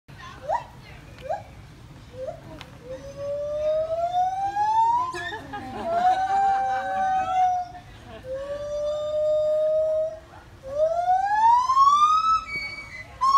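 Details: White-footed gibbons at the Indianapolis Zoo, having fun: long rising whoops that sweep upward in pitch and repeat every two to three seconds, climbing into a higher excited phrase, with a low background hum.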